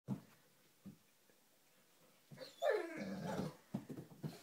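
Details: Five-month-old Great Dane puppy playing with its reflection in a mirror before bed indoors: after quiet thumps, a sudden rough growling bark-like vocalization lasting about a second, then soft scuffles.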